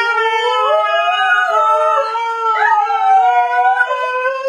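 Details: Pet dogs arguing: one sustained, wavering howl that slowly rises and dips, unbroken and rich in overtones throughout.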